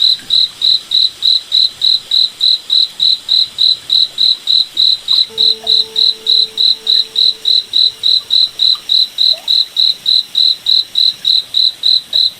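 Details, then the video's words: A nighttime forest cricket chorus: bright, rapid chirp pulses in a steady rhythm of about three and a half per second, with a short faint humming tone midway. "Cricket Night Forest Ambience"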